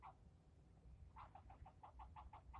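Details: A squirrel keeps up its yelling at the person filming; one short bark, a brief pause, then a quick even run of about eight clipped barks.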